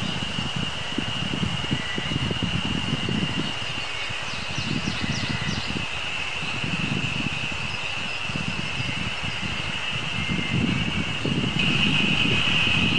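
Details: Terpnosia nigricosta cicadas on a mountain on 24 May 2019, first heard singing that season: a steady shrill drone holds unbroken through the whole recording, with brief high chirps of small birds and low rumbling noise beneath.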